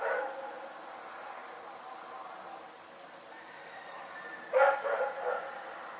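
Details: Rex the dog barking during the night: a fading bark at the opening, several seconds of near quiet with a faint, regularly pulsing high tone, then a quick cluster of three loud, rough barks.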